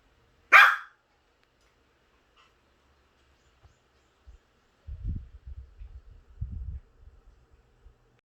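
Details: Puppy seeing an electric fan for the first time gives one sharp, loud bark right at the start, followed by quiet and then soft low thumps and rustling indoors.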